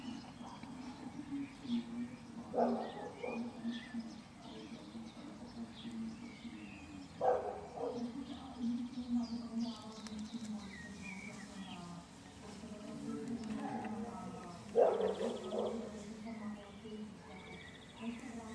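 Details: A buff-tailed bumblebee (Bombus terrestris) from a colony poisoned by pesticide spraying on a nearby rapeseed field gives a steady, low droning buzz, with a few brief louder bursts.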